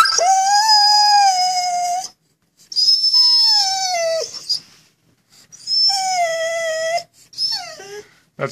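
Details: A Vizsla, prompted to speak, gives long, mournful howling whines, each held steady and then sliding down at the end, as if telling a sad story about missing his fish chew toy.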